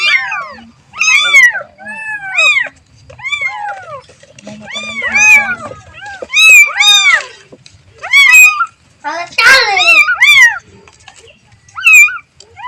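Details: Baby cat calling its mother with a string of loud, high mews, each rising then falling, in clusters separated by short silences, plus one brief noisy rustle.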